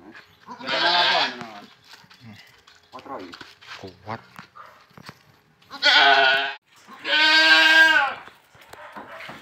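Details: Fullblood Boer goats being delivered to a farm pen in Indonesia; loud wavering bleats come in three bursts about a second long each, with Indonesian speech and handling noises between them.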